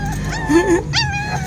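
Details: A hungry puppy of Zoey's litter whining, a brief wavering high cry that rises and falls, then a second sharper yelp, over a steady hum in a small room.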